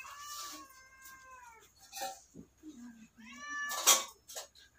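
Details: Kitten meowing indoors: two drawn-out, clear harmonic meows, the first long and gently falling, the second rising then falling, with a few soft low murmurs and clicks between them.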